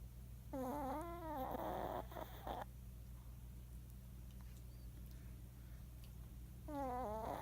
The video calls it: Snoring shih tzu